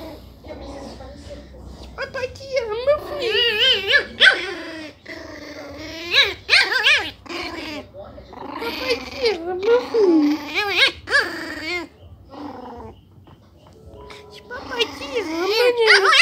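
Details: A month-old, 300-gram Miniature Pinscher puppy gives shrill, squeaky yaps and little growls while a man talks softly.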